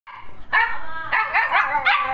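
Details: A pair of Siberian Huskies. One dog gives a drawn-out, whining howl rich in harmonics. The pitch rises and falls in several bends over about two seconds.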